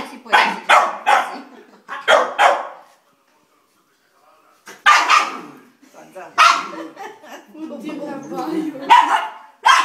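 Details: A Chow Chow barking at a Maltese gives short, harsh barks in clusters of two or three, pausing between volleys; later the barking runs longer and more ragged, with what may be voices mixed in.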